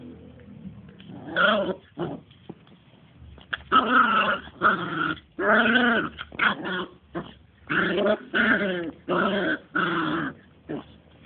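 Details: Two-month-old Smooth Fox Terrier puppies at play, giving a run of harmonic, wavering growls and whiny yelps in short bursts separated by brief pauses, some rising then falling in pitch.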